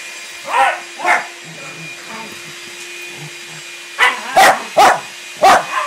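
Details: Puppies at play on a weekend, a visiting new puppy with a trio of resident dogs: two sharp barks, a quiet pause with soft low sounds, then four quick bright barks in close succession over a steady background hum.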